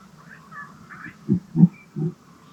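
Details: Red deer stags roaring close by and interacting during the autumn rut, when males turn aggressive, in wilderness; three deep, short, grunting roars in quick succession.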